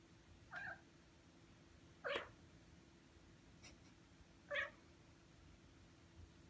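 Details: A six-month-old Ragdoll cat, which has recently started sounding dog-like, gives three short, harmonic meows spaced a couple of seconds apart, demanding attention while its owner works at the keyboard: Ragdoll cat.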